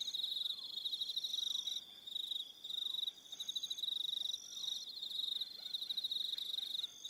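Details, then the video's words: Evening crickets on Aroha Island, New Zealand, form a steady high-pitched pulsing trill. Layered upper trills start and stop, and the chorus dips briefly in loudness now and then. "1 Hour Relaxing Evening Sound of Crickets"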